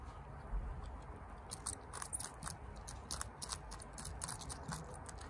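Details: Chia, a female pet guinea pig at home, eats bok choy fast: crisp, crunchy bites and munching snaps repeat through the whole stretch over a low, steady background hum.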